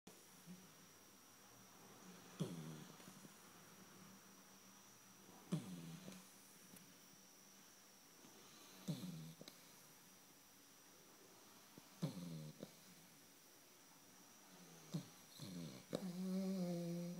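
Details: Snoop, an eight-week-old blue Shar Pei puppy, snores softly while asleep indoors: low rasping breaths recur about every three seconds, with a faint steady background hum.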